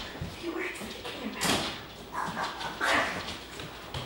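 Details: German Shepherd puppies socialising with adult dogs Titan and Paisley; a few sharp, noisy yips and barks about a second and a half apart, mixed with people talking nearby.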